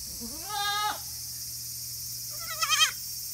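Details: Goat kid about 40 days old, on a hobby goat farm in Himi, Japan, 14 August 2018, bleats twice: a smooth rising cry, then after a pause a higher, wavering, quavering bleat, with constant background hum.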